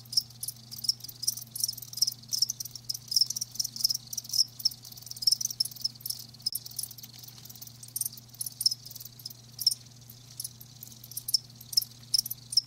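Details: Crickets recorded live, their high trilled chirps repeating in quick irregular bursts over a faint low electrical hum.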